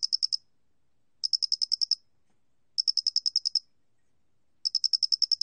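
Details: Loxoblemmus doenitzi cricket, recorded in 2020 by the National Institute of Biological Resources. It calls in high, clean bursts of five to eight rapid chirps. The bursts repeat about every one and a half to two seconds against a silent background.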